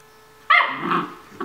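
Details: Kaylee, a nine-week-old Vizsla puppy, at morning play indoors: one sharp bark sliding into a short rough growling note, then a brief second yelp.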